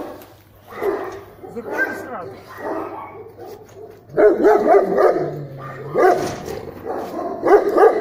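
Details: German Shepherd in a guard-protection test; bursts of sharp barks, quieter at first and then louder and denser from the middle, with a person speaking.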